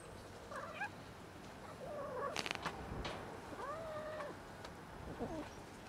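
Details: Touched female cat gives a series of short, wavering meows, some rising and falling, with a brief burst of rustling handling noise in the middle and a quiet background hiss.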